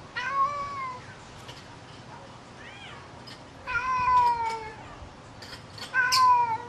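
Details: Lynx hybrid, one of a father-and-son pair named Puma and Goliath out for a walk in the yard, gives three drawn-out, slightly falling meow-like calls with rich harmonics, spaced a few seconds apart over a quiet background.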